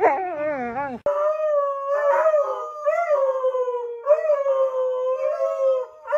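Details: Husky sustains a steady, drawn-out howl across the whole stretch, opening with a quick warbling wobble, then holding a mid-pitched tone with slight bends and small breaks.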